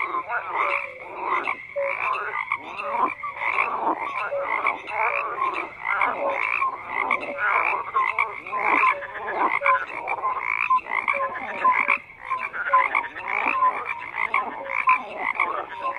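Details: Many frogs croak at once in a thick, pulsing chorus; rapid rattling bursts follow one another closely, with occasional short whistled notes and a brief lull near the twelfth second.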